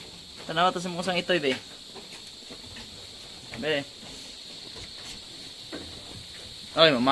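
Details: Anglo-Nubian goats giving birth at a farm in San Carlos City, Negros Occidental, Philippines, where seven kids were born in one day; quavering nasal bleats come in a long burst, then single shorter cries, over steady hissing background noise.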